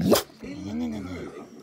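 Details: A male English Bull Terrier sings along with his owner to Christmas songs, giving a drawn-out, wavering howl that rises and falls after a sharp opening burst, with music.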